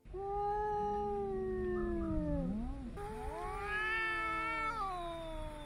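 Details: A domestic cat yowls in a long, drawn-out moan that wavers and dips before rising again; yowling often signals discomfort or agitation, such as unease in a new environment.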